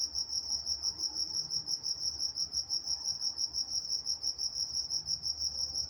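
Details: Night-time crickets in Walnut, California: a steady, high, pulsing trill repeating about three times per second, with a fainter higher band above it; quiet low rumble underneath.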